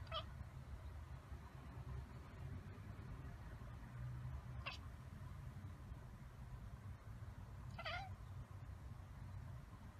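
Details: A domestic cat chatters in brief, clipped 'kekeke' bursts a few seconds apart, apparently at a squirrel it can't reach, over a constant low hum or rumble.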